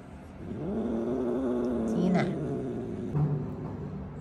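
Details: Burrito, a male pet cat, protests dramatically while being given eye drops: a low, drawn-out moaning growl that wavers for about a second and a half, then fades, with a person's voice nearby.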